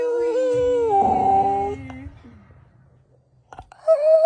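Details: Female rescue dog, described as very verbal and opinionated, making new noises: a long wavering howl-like moan with rich harmonics, fading after about two seconds into quiet, then a short rising whine at the end.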